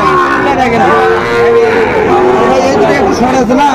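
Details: Sahiwal bull calves at a busy cattle market in Cumilla, Bangladesh, lowing in drawn-out, steady moos over constant chatter of traders and buyers.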